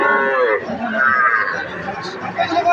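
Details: Calves of Sahiwal and other breeds offered for sale, June 8, 2026; a loud, harmonic-rich moo with wavering pitch, overlapped by people talking nearby.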